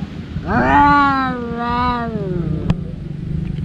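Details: Domestic cat during a daily fight between two brothers: one drawn-out yowl that rises quickly and slowly sinks over about two seconds, then a sharp click and low background rumble.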